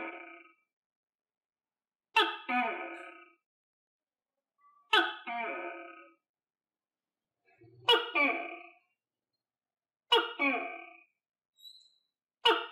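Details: Captive tokay gecko, kept and fed crickets, giving loud harmonic barking calls about a second long each, repeated roughly every two and a half seconds against a quiet background.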